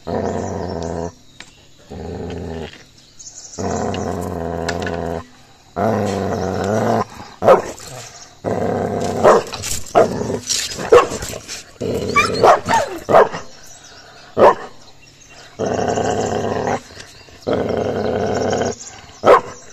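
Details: Puppy aggression from a Gaddi dog attacking another dog: rumbling growls in uneven bursts, broken midway by scuffling, clattering noise from the fight, then more sustained growling.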